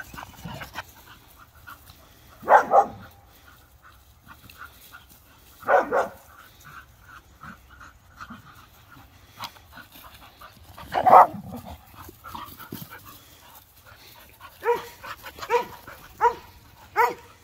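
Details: Dogs at rough play with a detergent bottle on a rope: Bonny, a Bull Terrier mix, Waylon, an Airedale pup, and Lucy, an Airedale, wrestling. A few scattered harsh barks at wide intervals amid scuffling and panting.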